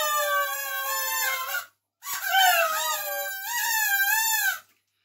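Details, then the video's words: A dog singing in two sustained howled phrases separated by a brief pause; the second wobbles up and down in pitch before cutting off. "कुत्ता गाना गा रहा है! Dog singging a song"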